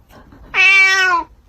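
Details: A pet cat stuck in a window screen gives a single drawn-out meow lasting under a second. The tone is clear and harmonic, holding steady, then dipping slightly at the end, with a quiet indoor background.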